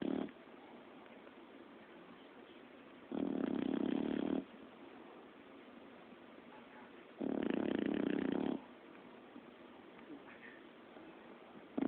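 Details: Sleeping five-month-old puppy snoring: rough, buzzy snores about a second long, coming roughly every four seconds, with quiet breathing between them in a still room.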